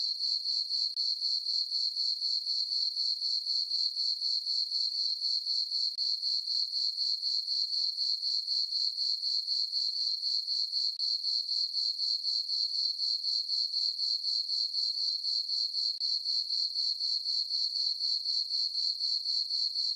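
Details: Crickets chirping on a peaceful summer night in a farm meadow under a full moon; a steady high-pitched trill pulses about four times per second, very regular and unbroken, with no other sounds.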